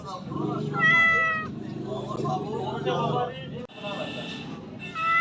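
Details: Domestic cat meowing: a clear, falling meow early on and another starting at the very end, over continuous low murmuring voices.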